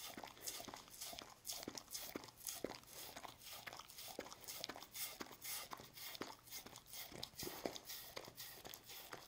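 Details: Dog named Lucy licking and eating a Churu treat; rapid wet licking and smacking clicks repeated several times per second, steady throughout, quiet indoor background.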